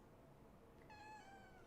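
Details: Female domestic cat indoors, meowing in reply when her owner talks to her during a live stream; one drawn-out, fairly level meow of about seven-tenths of a second, quiet beneath a low room hum.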